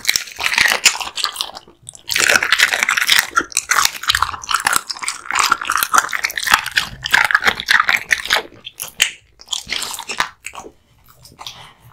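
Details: Dense, continuous crunching and tearing as Kotetsu, a male American Bully born 2016, eats raw meat and bones in a small indoor space. The chewing is rapid and gritty, broken by a few short gaps.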